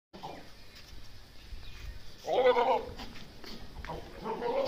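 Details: A male goat gives a wavering, harmonic bleat about two and a half seconds in, then a second, rising bleat near the end, over a low background rumble.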